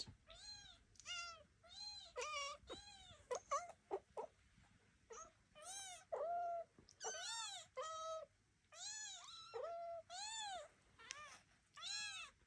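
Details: Devon Rex kittens taking their first walk around a room under the watch of their mother Elma and an aunt, just moved out of the birthing box; a rapid series of high, arching meows, overlapping and repeated, with a few short clicks between.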